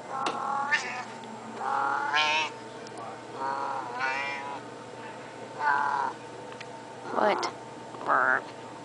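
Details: Domestic cat asking for food after already being fed, meowing insistently indoors: about eight loud, harmonic, wavering meows in nine seconds, some rising and bending, with short gaps between, plus brief human talk nearby.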